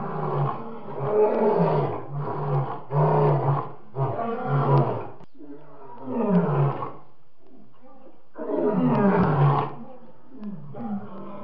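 A lion gives deep, throaty roars, then a run of shorter grunting moans about a second apart that fade and slow toward the end.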